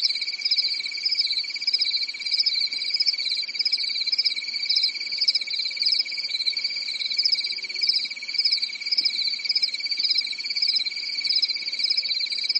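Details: Crickets trilling on a calm summer night in Europe, a steady, high-pitched chorus that pulses gently without pause.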